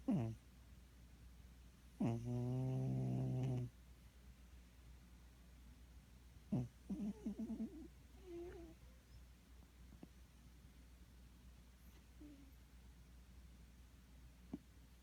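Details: A sleeping cat snoring: one long, rough, buzzy breath lasting about a second and a half, with a few short soft snuffles before and after, otherwise quiet.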